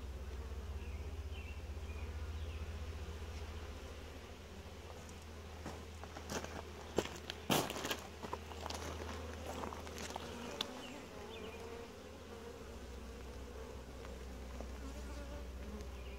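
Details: Gentle honey bee colony at a typical hive inspection gives a constant low drone, interrupted midway by a burst of knocks and scraping from handling of the hive, then the steady hum returns.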